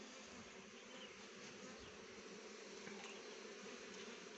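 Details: Honey bees collecting nectar from rhododendron blossoms produce an unbroken buzzing hum that holds steady in tone and loudness, with faint soft ticks scattered through it.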